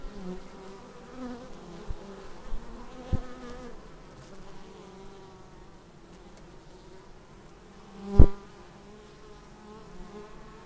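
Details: Honey bees flying in to their hive, recorded on a Xiaomi Yi action camera; a soft, even droning hum fills the air, broken by one sharp loud buzz as a bee passes near the lens.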